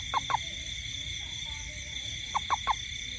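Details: At night in a rainy garden, a toad gives two quick croaks. A short pause follows, then a run of three croaks. A constant shrill insect drone continues behind.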